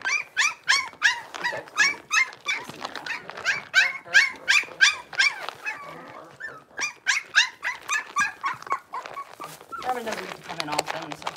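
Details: Six-week-old blenheim Cavalier King Charles Spaniel puppies, a litter of five born on New Year's, in an indoor puppy pen; shrill, harmonic yelps repeat about three times a second in quick bursts, with a short pause midway and a scuffling patch near the end.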